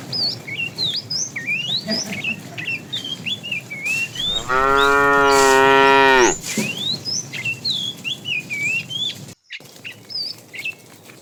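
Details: Tame cows roam in a herd in the morning, searching for food. A single drawn-out, even moo of nearly two seconds rises out of busy chirping birdsong, with a brief sharp click near the end.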